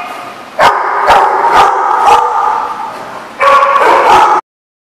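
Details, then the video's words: A dog gives four evenly spaced loud barks about half a second apart, a brief pause, then a fast cluster of barks before the sound abruptly cuts to silence. "The Barking Lot"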